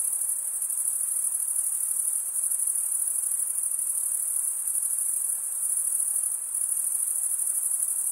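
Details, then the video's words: Continuous shrill chirping of crickets, the males scraping wing against wing, blends into one high ringing trill with small rises and falls in loudness and a short softer moment near the end. "Most relaxing cricket sound for 8 hours"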